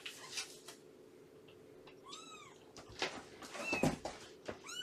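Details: Indoors at a foster home of Purrfect Pals with Shelby, a mother cat of about two years, and her three-month-old kittens, during a morning visit: a few short arched mews amid clattering handling noises and a low background hum.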